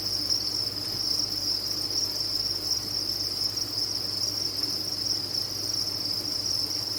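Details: Steady high-pitched chirping from a large group of farmed crickets, a seamless ringing wall of sound with slight flutter and a faint low hum.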